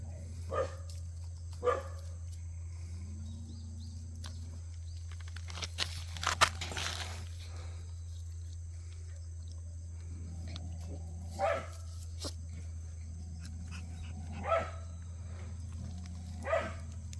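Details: Cheondol's puppies playing outdoors, inviting play; single sharp barks spaced several seconds apart, with a cluster of rustling and scuffling in the middle, over a continuous low hum.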